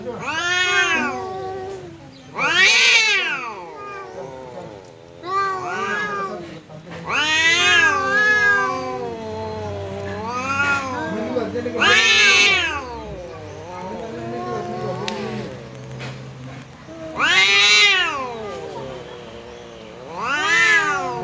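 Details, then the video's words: Cat fight between a resident cat and a visitor: repeated bursts of loud, warbling yowls and screeching wails over about twenty seconds, interleaved with lower growling moans. "Kucing Berantem!! Kedatangan Tamu, KucingKu Langsung Pasang Badan dan Adu Mulut"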